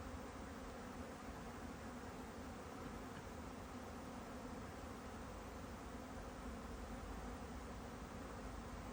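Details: Honeybee buzzing in a steady, unbroken low hum with a faint droning band, continuous for the whole stretch and with no other clear sounds.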